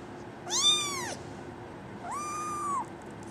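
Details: Female brown tabby and white kitten born 24 December 2010, up for adoption; two high, arched meows about one and a half seconds apart, the first short and bright, the second longer and flatter, over quiet background hum.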